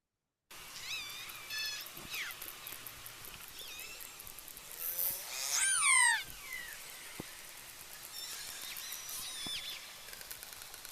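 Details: Killer whales in British Columbia's inshore waters, recorded underwater in quiet conditions, call with squeaky rising and falling whistles and harmonic pulsed calls.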